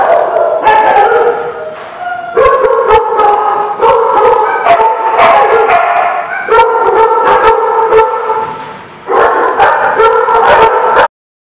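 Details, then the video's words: Dogs barking in steady, loud bursts, with overlapping voices and short gaps between volleys, ending abruptly in silence. "The Barking Lot"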